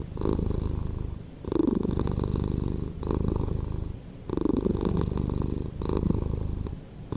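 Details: Pet cat purring loudly, a coarse low rumble pulsing in even breath cycles about every one and a half seconds, recorded very close in a quiet setting.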